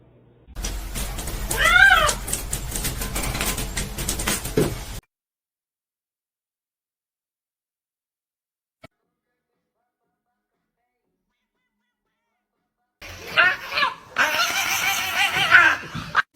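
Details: Domestic cat in a funny-cats compilation gives a short arched meow amid room noise, then after a long silent gap a longer, wavering, strained cry over background clatter.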